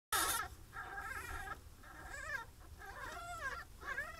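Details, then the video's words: Pine marten kits in their first week after birth, captive-bred in England as part of a breeding programme, heard giving wavering, harmonic whimpering mews in overlapping bursts, some falling and wobbling in pitch, over a low steady hum. "Pine Marten Babies - Week 1"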